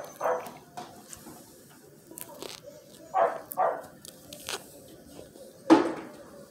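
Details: Miniature Australian Shepherd puppies indoors giving a few short, sharp yips spaced apart, with a louder squeaky yelp near the end and quiet room noise between.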